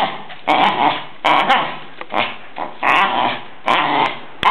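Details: Jack Russell Terrier from Verona, described as nervous and aggressive, growls harshly in short rasping bursts, about five in under five seconds, with quiet moments between them, indoors.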